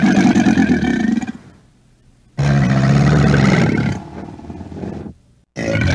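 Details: Gator roars from an American alligator: two deep, throaty, rumbling bellows of over a second each, separated by a short pause, and the start of a third.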